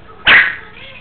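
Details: A 9-week-old female Yorkshire Terrier puppy gives a single sharp, high-pitched yap on command, recorded 5 October 2007.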